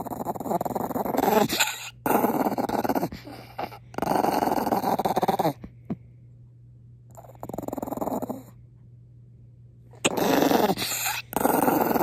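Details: Maltese dog Pongpong, annoyed after a kiss, growls indoors in repeated harsh bursts of about one to two seconds, with pauses and short quiet stretches between them.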